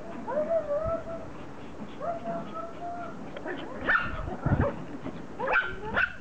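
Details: Happy Pomeranians welcoming their owner home from a vacation, giving drawn-out whimpering whines followed by a few sharp yips, with some background voices.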